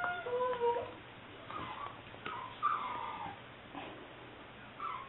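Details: Liver and white tricolor English Springer Spaniel female, a seven-week-old puppy recorded 18 May 2009, making quiet thin whimpers and brief squeaky whines over a hissy background.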